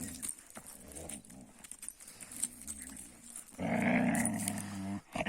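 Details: Young Kangal dogs fighting with each other: a low rumbling growl runs through the first part, then a louder, sustained harsh snarl with strong harmonics near the end.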